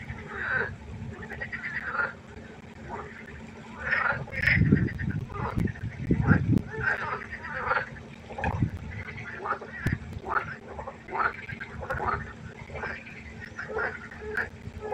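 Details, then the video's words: Frog concert at night by a pond: a dense chorus of repeated croaking bursts, mid-pitched and overlapping, with several louder low rumbling pulses around the middle and a steady low hum underneath. "Froschkonzert. Frosch Geräusche quaken. Frösche Geräusche Konzert"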